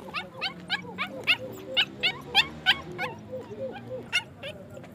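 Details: High, clipped yaps from Afghan Kuchi dogs in Pakistan repeat in quick succession, about three a second, over a low droning background, the calls varying slightly in loudness and ending in a lone louder yelp.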